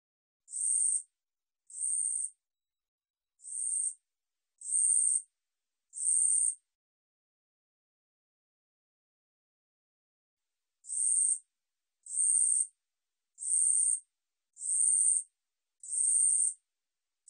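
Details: 2020 National Institute of Biological Resources recording of a 우리여치 katydid: five high buzzy chirps at about one-second spacing, a quiet pause of roughly four seconds, then six more buzzes in the same steady rhythm. No other sound.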